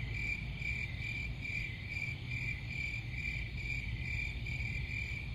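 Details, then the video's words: Crickets chirp in quick regular pulses, a bright high trill repeating about twice each second, with a steady low background rumble underneath. "Crickets Sound"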